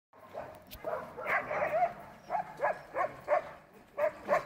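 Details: Sled dogs at an Alaskan dog sled demonstration, giving a run of short yipping barks and whines, loose at first then repeated about every third of a second in paired bursts toward the end.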